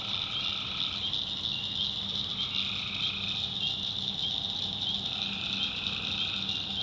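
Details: Tree frogs calling at night in the swampy backwoods of North Carolina: a dense, steady high-pitched chorus overlaid by lower trilled notes that swell for a second or two, then fade, with crickets in the mix.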